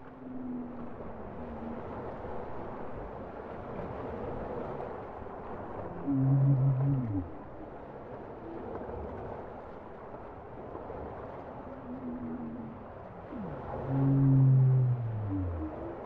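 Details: Bowhead whale song: two loud, low, harmonic moaning units about eight seconds apart, each holding steady then bending downward. Fainter tonal phrases drift between them over a constant hiss of underwater background noise.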